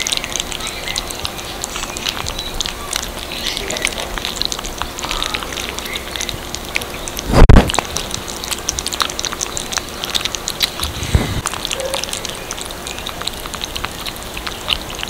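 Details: Little kittens eating cat food, close up: steady crunchy, clicking chewing and lapping throughout, with one loud dull thump about halfway through and a softer knock shortly after.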